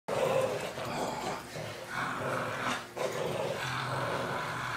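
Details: Boston Terrier named Maximus growling while playing tug-of-war with a rope, gripping hard and not letting go; a low continuous rumbling growl with brief breaks, with handling noise throughout.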